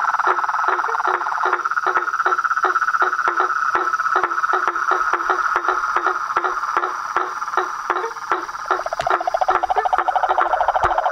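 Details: Frogs and toads in a nighttime-style symphony: dense continuous trilling near one pitch band, overlaid by sharp knocking calls repeated roughly three times a second, with a faster rattling voice joining near the end.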